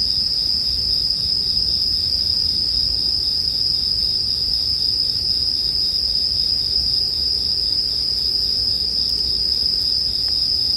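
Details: Bell crickets in a steady, unbroken high ringing chorus on a single bright pitch. They are layered with a soft low rumble from a bonfire as sleep ambience, with no other animals.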